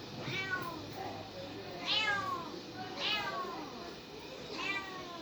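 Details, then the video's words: Kitten mewing four times at about one-second intervals, each call a short, high, falling squeal, over a faint steady background hiss. "Cats and Kittens Meowing Sound Effects Part 9 | Cat Sound | Cats Meowing"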